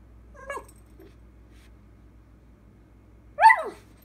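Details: Puppy Dakota answers her owner with two short calls. A faint, brief whine comes first, then after a long quiet stretch a louder, sharp, downward-sliding yelp.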